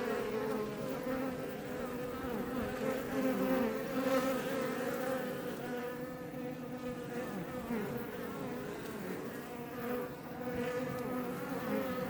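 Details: Iberian honey bees (Apis mellifera iberica) outside a Langstroth hive near Roquetes, south Tarragona, Catalonia, Spain; steady overlapping droning hum with layered wavering tones, individual bees swelling louder as they pass close.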